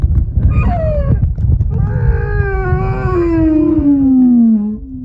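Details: Humpback whale described as snoring, recorded off Moorea in September 2023: drawn-out harmonic moans slide slowly downward, one gliding low for several seconds, over a constant deep underwater rumble.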